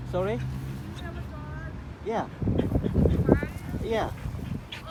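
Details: A Jindo dog gives short, wavering howls that bend up and down in pitch, with background noise, howling while its owner goes out to the store to buy food.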